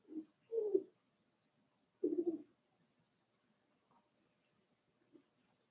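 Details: In a quiet indoor pen, Daisy's four-week-old Cavalier King Charles Spaniel puppies make low, cooing whines: two brief groaning bursts, then another after a pause, with a faint squeak near the end.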